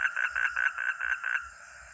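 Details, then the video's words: Frog or toad calling with a short run of about eight rapid, nasal croaking pulses, evenly spaced and fading out after roughly one and a half seconds, over a quiet background. "Real 🐸 sound katak atau kodok || frog or toad"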